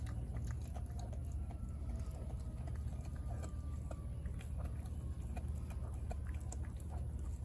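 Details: Four-month-old American Blue Bay Shepherd puppy, Denali, gnawing a raw turkey neck: irregular crunchy clicks and snaps, roughly one or two per second, over a steady low hum.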